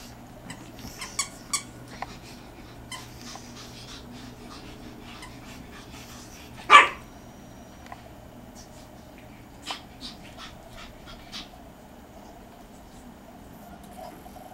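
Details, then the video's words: Pekingese dogs at home, a household pack including Brutus, Katie, Molly, Secret, Dave and Adele: one sharp, loud bark near the middle, with scattered soft ticks and snuffles before and after over a low, steady indoor hum. "Peke Party"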